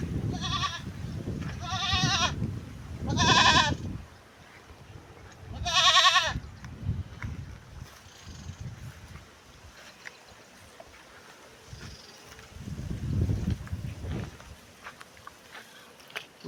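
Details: Gavran goat bucks offered for sale at Parola, Jalgaon district: four loud, wavering bleats with stacked harmonics in the first six seconds, then quieter shuffling and a faint low voice near the end.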